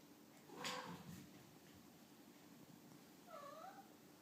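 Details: Toddling two-week-old baby kitten makes a short, high mew early on, then a clearer wavering mew that rises and falls near the end, with soft room noise between calls.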